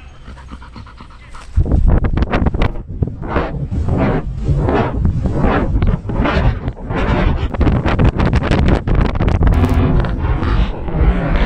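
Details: Danny, a Belgian Malinois in Cebu, Philippines, pants hard while playing fetch: fast, rough, breathy puffs, roughly three or four per second, running steadily after a short quiet start.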